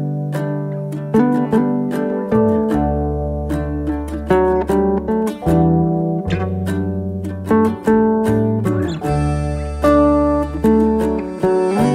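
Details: Plucked acoustic guitar music with steady strummed chords and picked melody notes, with no animal voices present.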